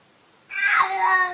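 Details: A single domestic cat meow, under a second long, bright and harmonic, starting abruptly after a quiet moment, from a funny-cat compilation.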